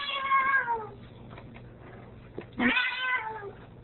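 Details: Female Ragdoll cat indoors by the door, arguing as her owner tries to leave: two loud drawn-out meows, each sliding downward, the second following after a pause of about two seconds, with faint room noise between.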